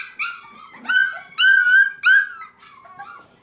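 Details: Litter of five-week-old F1b Cavapoo puppies at a kennel in Carthage, Missouri, giving four high, whining yelps in quick succession, each with a rising-then-falling pitch, followed by softer squeaks.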